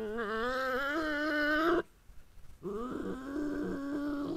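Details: The resident European badger living under a farm barn gives a wavering, moaning growl in two bouts separated by a brief pause, at night when another badger visits, apparently an unwelcome guest.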